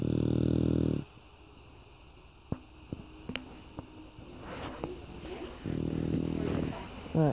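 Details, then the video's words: A female English Bulldog lying on a person snores in deep, rumbling low bursts while he speaks quietly between them about being held captive. "Snoring English Bulldog"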